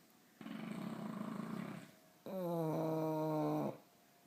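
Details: English Bulldogs asleep and snoring, two of them: a softer, breathy rasp for about one and a half seconds, then a louder, vibrating, harmonic snore with a falling pitch, about one and a half seconds long.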